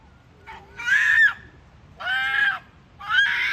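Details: Ezo red fox mother and young at a fox farm in Kitami, giving a rare call: three harsh, harmonic screaming bursts about a second apart, each rising and then falling slightly, with quiet gaps between.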